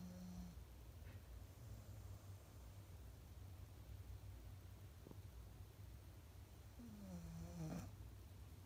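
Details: Golden Retriever asleep on its favourite sofa, snoring: a low, steady rumble runs throughout, broken by short, nasal, downward-gliding squeaks at the start and again near the end of the breath.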